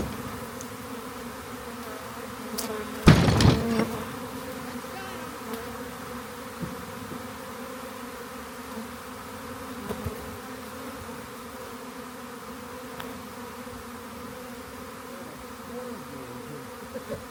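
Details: Swarming honey bees being collected, producing a continuous low hum with stacked steady tones and a sharp knock of handling noise early on.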